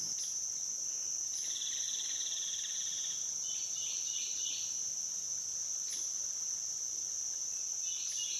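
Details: Cicadas recorded between dusk and dawn on the Licking River at Morning View: a steady, high, unbroken shrill drone runs throughout, with faint twittering bird notes weaving in above it at intervals.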